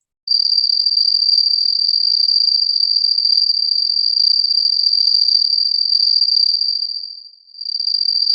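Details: Cricket, played as a listening exercise and noted for its very characteristic sound intensity: a loud, steady, high-pitched continuous trill that briefly fades around the seventh second before resuming.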